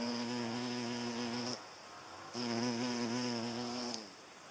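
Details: A hornet chasing away butterflies gives a deep droning buzz with stacked harmonics in two bursts of about one and a half seconds each, separated by a short near-silent gap, pitch dipping slightly as each burst ends.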